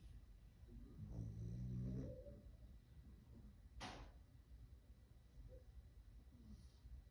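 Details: Louie, a sleeping dog, snores with one low rumbling, pulsed breath lasting about a second, followed by a brief sharp click and quieter breathing in a still room.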